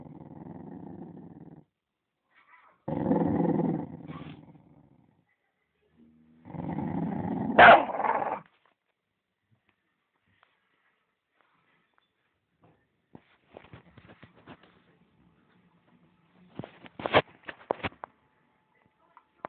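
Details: Dog guarding its bone gives long low growls of about one to two seconds, three bursts with a sharp bark-like snap at the end of the third, then quiet with clicking and rustling sounds.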